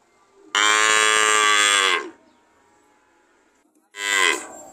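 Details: A cow lets out one long, rough moo of about a second and a half, falls silent, then gives a shorter, rising moo.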